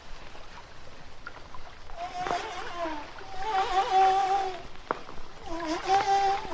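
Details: Humpback whale song from Hawaii, recorded in shallower water with little deep echo: after a quiet start, a run of wavering, harmonic moans and warbling tones rises and falls, broken by short sharp clicks, over a faint watery background.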